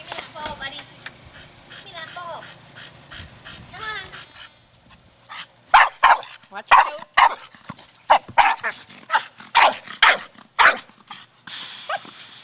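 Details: Brogan, a 4-year-old Staffordshire Bull Terrier, playing with his big hard plastic ball; a person talks for the first few seconds, then about ten loud, sharp barks come in quick succession over roughly six seconds.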